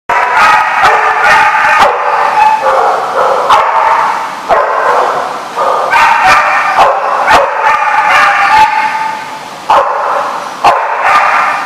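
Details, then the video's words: Several dogs barking at a dog facility, filmed 5/9/15; dense overlapping barks and yips in bursts, nearly continuous with brief pauses, several voices at once. "The Barking Lot"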